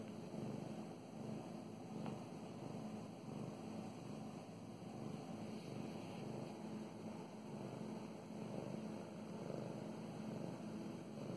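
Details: Pet cat Mow Mows purring while being petted, a steady low rumbling drone with faint rhythmic pulsing, one brief click near the second mark, soft rustle of stroking over it.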